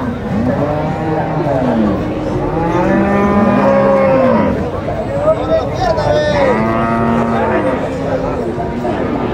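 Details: At a cattle market in Nueva Guadalupe, El Salvador, several bulls bellow in a steady chorus of long, curving moos. The calls overlap and swell in the middle, with little other noise.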